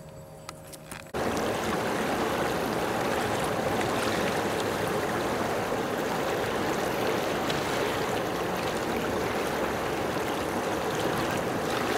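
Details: Steady rushing, water-like noise fills the recording after a brief quieter opening second, with no animal calls standing out.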